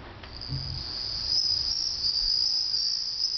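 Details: Bell cricket singing at home in summer, a pet listening with interest: a steady, shimmering high-pitched trill that runs unbroken through the clip, with faint low thumps early on.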